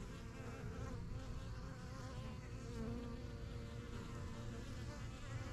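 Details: Busy honey bee hive in a backyard, a beginner's strongest yellow box from spring 2023, with bees flying in and out; continuous low buzzing swarm drone, individual bees passing with slightly rising and falling pitch.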